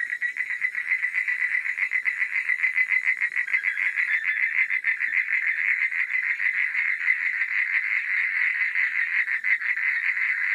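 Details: Nighttime frog chorus, dense and continuous, a loud rapid rattling trill of many overlapping croaks pulsing without pause, with a thin high insect whine above.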